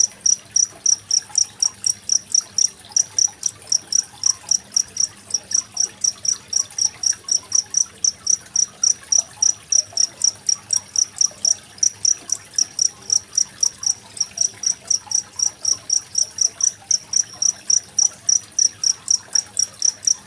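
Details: Cricket with murmuring water in the background, recorded 25 February 2023 as tutor audio for competition songbirds like magpie-robins. Piercing, high chirps continue without a break at about four per second for the whole stretch.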